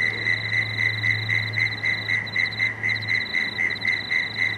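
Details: Frogs at dusk beside the Cooks River, Marrickville, calling in fast even pulses near four per second, with a higher pulsed line above and a low droning hum through the first three seconds.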